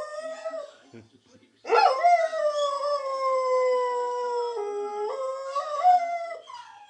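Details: A singing Lurcher gives one sustained, steady howl after a short quiet start, holding a level tone with slight wavers before stepping up in pitch near the end.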